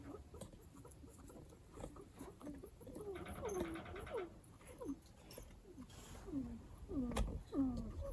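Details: Pet guinea pig at home with an unusual voice: short, downward-sliding chirps, some doubled, several per second, mixed with a brief harsher burst and light handling noises indoors.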